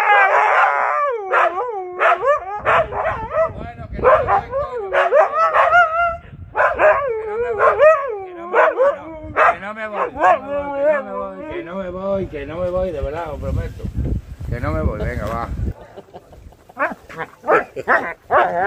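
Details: Siberian Huskies Max and Bombón protest as their owner jokes about leaving them behind on a boat; rapid run of bending, yodel-like howls and yips, with a voice talking in the background.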